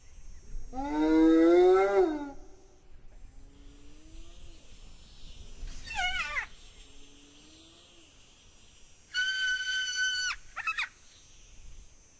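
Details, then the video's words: Spotted hyena on the savannah: a long, loud, wavering moan that slides downward, then softer drawn-out calls. A short squealing rise-and-fall follows, and a steady, even-toned blare ends the sequence. "Sound Effects - The Spotted Hyena"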